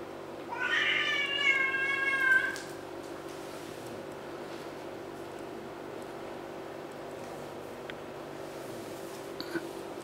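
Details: Kittens feeding on fish and play fighting; one drawn-out meow lasting about two seconds, slightly falling at its end, followed by quiet room hum with a faint click or two.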